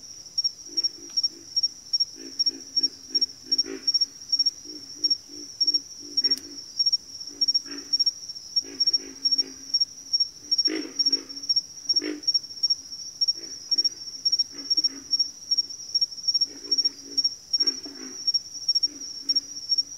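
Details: Backwater frog chorus of rapid, low grunting pulses in clustered runs with brief pauses between groups, overlapping callers, and a continuous piercing insect trill in the background.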